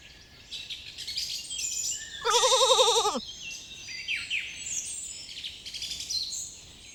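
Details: In a cool forest where lambs graze, one tremulous, wobbling bleat of under a second stands out against busy, varied birdsong with chirps and whistles throughout.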